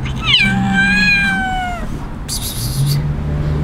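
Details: Street kitten left behind by its owner gives one long, strong, harmonic-rich meow lasting about a second and a half, gently falling at the end, followed by a short burst of noise.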